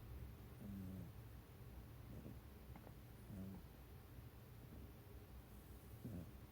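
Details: House cat dozing snugly at a person's feet, snoring in its sleep; short low grumbling breath sounds come in four soft bursts at uneven gaps against a quiet indoor background.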